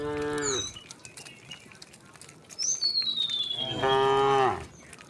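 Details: In a herd of thousands of cows walking leisurely along a rural road towards their resting place, a cow gives two deep, drawn-out moos, each rich in harmonics and ending in a falling tail.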